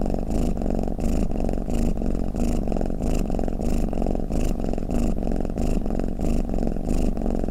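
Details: Snoring-like purr from a cat, a dense low drone pulsing with its breathing every half second or so, nothing else audible.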